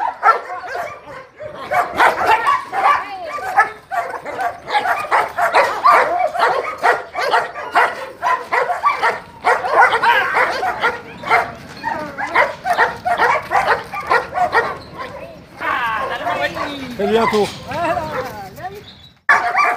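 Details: Lobo, a 14-month-old DDR German Shepherd from France, barks during defence-work initiation with a helper, tugging from jute rag to starter sleeve; dense volleys of sharp barks throughout, ending with high whining yelps and faint voices.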